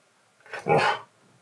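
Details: Indoor Siberian Husky refusing to stop talking until played with, giving one short rising-then-sustained howly woo lasting about half a second in a quiet small room.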